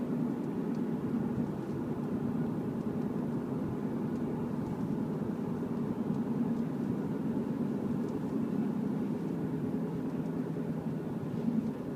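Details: Steady low engine and road rumble from a moving car fills the recording, with no animal voice.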